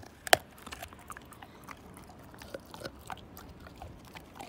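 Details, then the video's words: Siberian Husky named Slim gnawing a bone: sparse, irregular crisp clicks of teeth against bone, with one sharp loud crunch near the start, then quieter scattered snaps over a low hush. "My Husky Tear This Bone Down To Nothing!"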